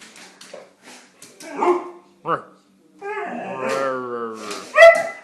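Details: Siberian Husky vocalizing indoors: after a few seconds of human talking, a drawn-out, wavering harmonic whine-howl runs for nearly two seconds, ending in a short, louder yelp.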